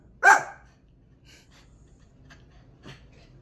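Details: Excited pet dog barking after hearing there is a cat outside: one sharp, loud bark at the start, then quiet with faint clicks and soft breathing-like sounds.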